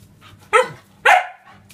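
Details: A 5-month-old male Siberian Husky and Thai dog mix puppy, indoors by a freezer he likes to sleep in, gives two short, sharp barks about half a second apart, each with bright harmonics, over a faint low hum.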